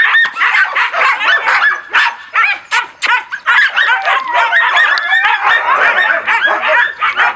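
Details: Group of husky and laika puppies, recorded 04.06.16, giving a loud mix of yelps and wavering howls, overlapping voices pulsing irregularly, about two to three bursts a second with a few short pauses.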